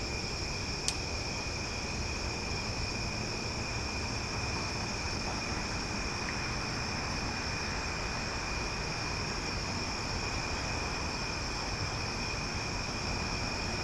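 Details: Cicadas calling loudly on a summer night in Omaha: a steady, unbroken high droning chorus in several layered tones, with a low rumbling background hum and one sharp click near the start.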